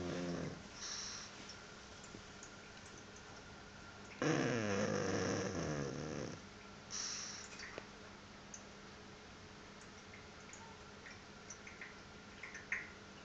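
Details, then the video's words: One loud, raspy snore about two seconds long from Ricky the pug, deep and vibrating, with a few faint rustles and clicks in an otherwise quiet room. "The snoring pug, Ricky"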